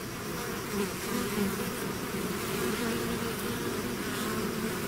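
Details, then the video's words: Buzzing of a bee swarm out of its hive: a constant low, dense drone of many insects with slight wavering pitch and no other noticeable sounds. "bees therapy swarm natural buzzing sound"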